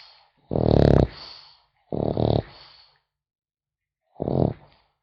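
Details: French Bulldog puppy asleep, snoring: three rasping, low buzzy snores of about half a second each, the last one shorter, separated by near-silent pauses in a quiet room.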